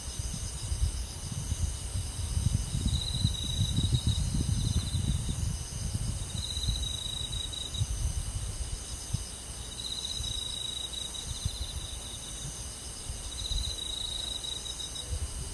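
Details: Countryside forest crickets and insects at night in summer: rhythmic trill bursts every few seconds above a steady high hum, with loud low rumbling noise in the first seconds.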